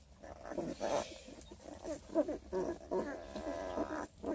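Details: Twelve-day-old Redtick Coonhound x Black and Tan Coonhound cross puppies from a litter of eleven near Kingston, Ontario, Canada, giving many overlapping soft, wavering whimpers and squeaks with irregular rhythm, shuffling of pups in the background.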